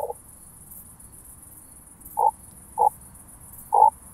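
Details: Starnberg, Germany, 18 July 2023: oak bush-cricket heard through a Pettersson D 100 ultrasound detector. Three short, sharp pulses sound roughly every half second to one second after a quiet stretch, with a constant high hiss.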